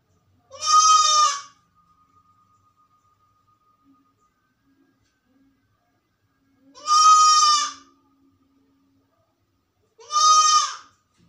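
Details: Goat alone in a room, described as sick, calling loudly: three loud, nasal, wavering bleats spaced several seconds apart, with near silence between them.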